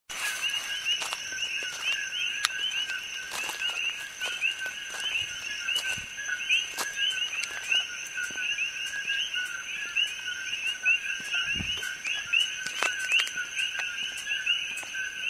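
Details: Coqui frogs calling on the Hilo side of Hawaii Island, an invasive species heard from evening to morning; a dense chorus of steady, high two-note chirps in overlapping bands, with scattered clicks and brief human voices.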